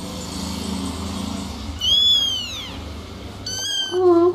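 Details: Little kittens meowing and talking: a high, arching mew that rises then falls, a pause, then another shrill mew sliding into a lower, shorter cry, against a low indoor hum.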